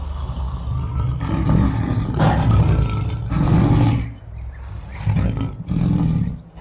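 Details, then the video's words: Lion sounds from an 8D wild-animal recording: heavy low growling roars swelling in three or four long bursts, rough and throaty, fading briefly around the fourth second before resuming. "Sonidos de LEÓN"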